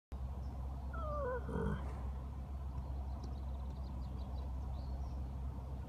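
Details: Horse sleeping in the grass in the sun, making noise: a short, wavering, tonal groan with a slightly rising and falling pitch, lasting under a second, over a steady low rumble of background noise.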